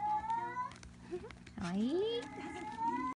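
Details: Munchkin kittens, 31 days old, Ringo's two babies: a high, steady mew that climbs slightly, then a swooping call rising sharply from low to high, followed by another long high mew, with a constant low hum indoors.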